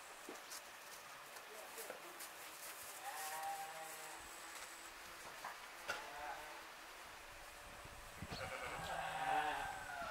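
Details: Romanov sheep, a six-month-old bottle-fed lamb kept on a farm: several wavering, nasal bleats with clear harmonics around the third and sixth seconds and a longer one near the end, over background speech and farmyard noise.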